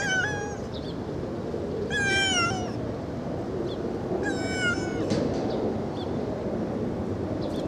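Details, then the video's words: A kitten meows pretty loudly in quick succession, four short bright meows within about five seconds, each a brief falling tone rich in overtones, with a few faint taps and steady room hiss behind. "16 meows in 48 secs חתלתול מיילל"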